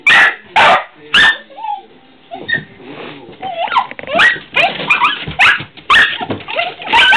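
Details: Barking at squirrels from pet dogs: three hard barks open, a brief lull with low whimpers follows, then a burst of excited yelps and renewed barking.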